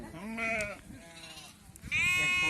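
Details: A sheep just given a PPR vaccine; a loud, nasal bleat of about half a second, a quieter gap with murmured voices, then another sharp, piercing bleat starting abruptly.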